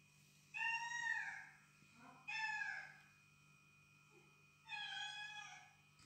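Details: Domestic cat at home, edgy and defending her territory against unfamiliar felines heard in recorded cat calls; three drawn-out, harmonic meows, each falling slightly in pitch, with a steady low hum underneath.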